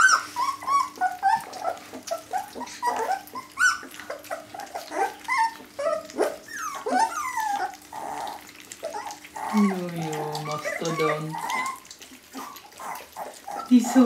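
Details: Several Jämthund puppies at a kennel, filmed in 2012, whimper and yip in bursts. Thin wavering whines come and go, with a steady faint hum underneath and a lower voice-like sound near the middle.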